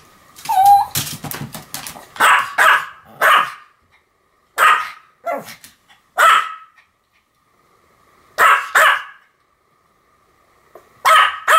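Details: Duet barking by two Pomeranians named Sam and Marin: a flurry of yaps, then single or paired sharp barks spaced every second or two with quiet gaps.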